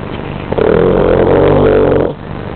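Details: Wilson the dog snores in his sleep in a dark room, producing a long, steady, buzzing drone of about one and a half seconds that cuts off sharply, over faint background hum.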